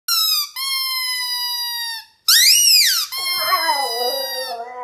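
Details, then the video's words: Puppy vocalising back at its squeaky toy, as if arguing with it: long flat high-pitched toy squeaks, then a wavering, moaning whine from the puppy that rises and falls for about two seconds. "Un chien répond à son jouet"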